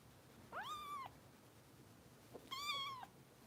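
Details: Two bright, level meows with a quick upward start, two seconds apart, from foster kitten Harper at bottle-feeding time, in the care of Los Angeles kitten rescue volunteers; room otherwise quiet.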